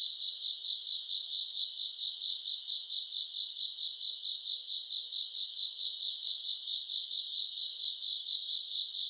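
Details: Summer-night grass insects, recorded in August, fill the air with a continuous bright, ringing trill that throbs gently about twice each second; a faint higher shimmer rides above and nothing else intrudes.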